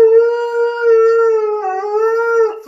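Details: Siberian Husky howling indoors: a long, steady, tonal howl with rich harmonics, holding level for about two and a half seconds before fading.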